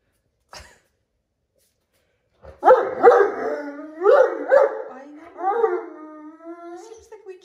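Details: Great Dane at home grumbling about a cat lying upside down in the doorway; after a pause, a series of rough, moaning howl-grumbles with pitch bends, followed by a longer sliding whine, with a person talking nearby.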